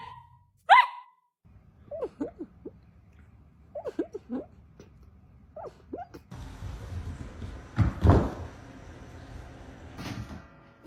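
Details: Golden Retriever puppies giving short, high whimpering yelps in small bursts after one louder opening cry, followed by rustling and a dull thump indoors.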